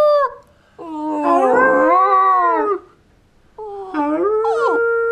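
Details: Border terrier sings two drawn-out howls, the first rising and arching over about two seconds, the second starting after a pause with a quick yelping rise before gliding down to a steady held tone.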